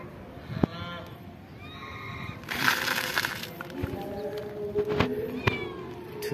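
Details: Pagoda cats, among several living at a temple and fed there, give short falling meows in the first two seconds, then a burst of broadband noise, with voices and background murmur throughout.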